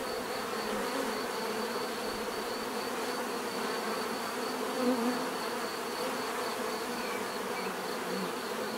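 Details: Steady hum of numerous bees, a thick droning buzz holding level throughout, with one nearby bee growing briefly louder around the middle.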